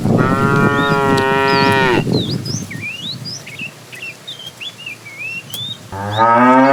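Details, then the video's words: Tame cows herded in the morning toward green grassy pasture: a long loud harmonic moo of about two seconds, a second moo starting near the end, with many birds chirping and whistling in between. "Funny cow sounds"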